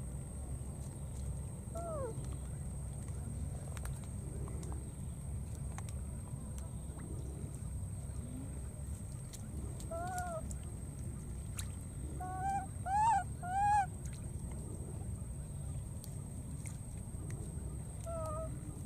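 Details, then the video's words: Searching for its friend after crossing the water, a young wild monkey gives scattered tonal coos, then a quick run of three rising-falling calls near the end, over a constant low rumble and a thin high hum. "this cute baby monkey keeps looking for and calling for his friend"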